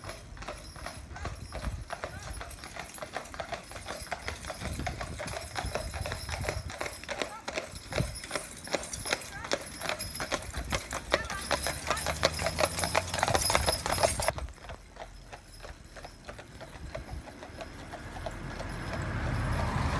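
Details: Two harnessed Clydesdales pulling a carriage, driven by their owner from Scotland; quick, sharp hoof clops repeat fairly evenly for most of the clip, with people talking, then the hoof sound fades and shifts near the end.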